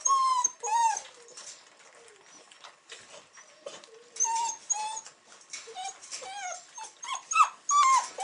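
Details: Weimaraner puppies, 42 days old, whimper and whine in short, high, wavering cries that overlap one another; recorded 8 December 2008.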